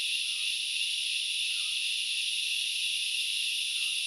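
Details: Grasshoppers recorded at Knuckles Reserve in Sri Lanka's Central Highlands, forest setting: an unbroken, dense high-pitched buzzing chorus holds steady throughout, with a few faint, brief lower notes drifting underneath.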